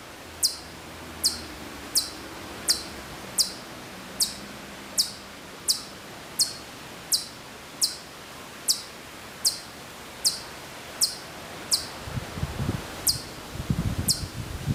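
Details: A far-off Hokkaido chipmunk at Maruyama, Sapporo, in September 2014 keeps up a long run of high, sharp chip notes roughly every 0.7 seconds; low rumbling and rustling noise enters near the end.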